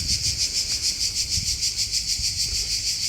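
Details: Cicadas fill the air with a loud, high, grating chirr that pulses steadily about three times a second, heard on a hot (about 40°C) summer climb up a fortress on a day trip from Split, Croatia.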